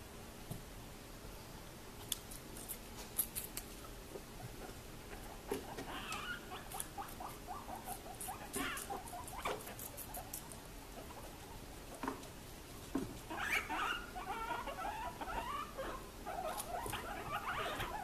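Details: Three rescued guinea pigs, bonded brothers adopted in April 2021, eating vegetables indoors. Crisp crunching and chewing clicks patter steadily, broken by short, squeaky chirps around six to seven seconds and again from thirteen seconds onward.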